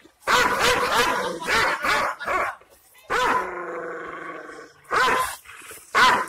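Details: An Aksaray Malaklı-type Kangal shepherd dog, described as wild and aggressive, gives deep, harsh, angry barks, with one long drawn-out bay.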